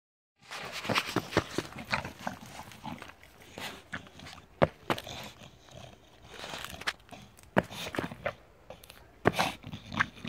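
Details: Bulldog playing outdoors in the snow; short, sharp broadband barks and huffs come in irregular bursts, sometimes in quick pairs, with muffled movement noise between them.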